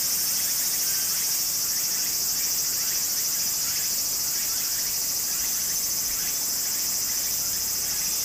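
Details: Cicadas singing in summer beside a flowing stream in Japan: a dense, continuous high-pitched shrill buzz that holds steady without pause throughout, with soft running-water hiss underneath.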